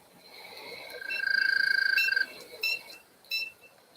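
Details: An American toad in Connecticut gives a high, steady musical trill of fast pulses, then a few brief chirps; heard at ponds in springtime, calling sometimes for hours.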